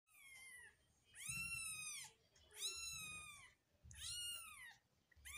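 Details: Newborn Persian kitten meowing: three loud, high, harmonic-rich cries rising then falling, each about a second long, spaced roughly every 1.5 seconds, with a fainter cry before them and low rumbling thumps beneath.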